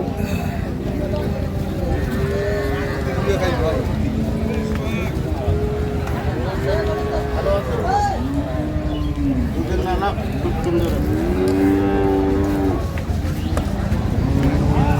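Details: Improved-breed dairy cows and calves at Ambari Haat livestock market, Dinajpur, on 9/3/25: several overlapping low, drawn-out moos rising and falling, mixed with steady crowd chatter and bits of music.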